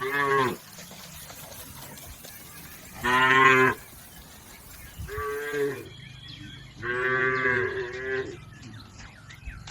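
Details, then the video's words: Cattle herded through a river on their way to the pen give four drawn-out moos of varying loudness, with light bird twittering in the latter half. "Bunyi sapi"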